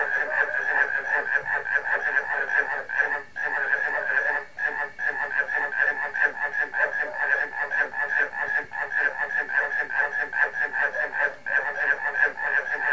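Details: Frog chorus joined by barking crickets: a dense, unbroken mass of rapid pulsing croaks from many callers, about two or three pulses a second, with a steady bright ringing band running through it and brief dips near three and four seconds.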